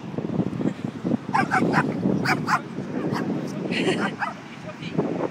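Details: Four-month-old Mastiff puppy playing at a dog beach in Huntington, giving short yipping barks in quick irregular bursts mixed with whimpers, over steady surf or wind noise and some human voices.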